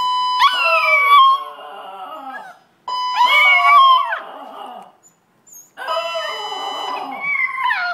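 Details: Two pet Chihuahuas howl together in a condo in reaction to a fire alarm: long wavering, sliding howls in three bursts separated by short pauses, over the alarm's steady high electronic tones.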